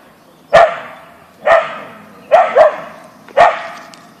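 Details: In a backyard, Siberian Husky Boeing (Ausky) barks at a deer: four forceful barks roughly a second apart, one doubled, each fading with a brief echo.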